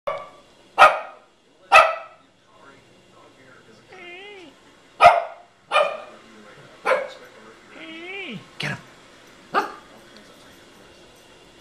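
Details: A dog barks at dogs on a TV dog show in sharp, abrupt bursts, some singly and some in close pairs, spaced unevenly, with softer wavering tonal sounds, likely TV audio, between barks.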